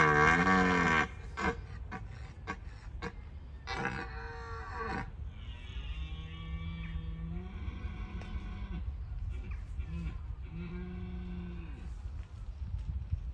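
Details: Red deer stags roaring in Bushy Park during the rutting season, calls that warn off rivals; a loud, deep bellow opens, then several long, moaning roars with rich harmonics follow, some drawn out and others shorter.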